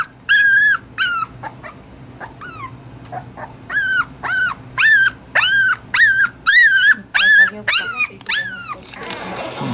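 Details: Toy Poodle puppy about one and a half months old, a female that cried often at this age; loud high whining cries repeated in bursts roughly every half second to a second, each arching and falling, with faint room noise between.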